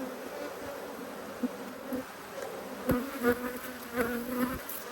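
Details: Agitated honey bees buzzing during a hive inspection on 5 March 2022. A continuous droning hum holds steady, with individual bees whining past close by and several sharp taps from the frames.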